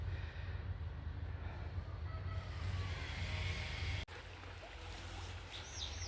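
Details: A steady low engine rumble, like a boat motor, with a sharp click partway through and no clear animal voice.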